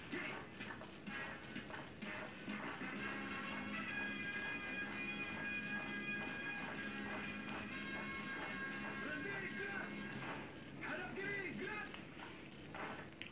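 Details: Jangkrik Jawa, a field cricket caught in rice paddies and prized for its shrill voice against rats, trilling in quick pulsed chirps about three per second; a short pause near three seconds, faint sustained tones and murmurs underneath.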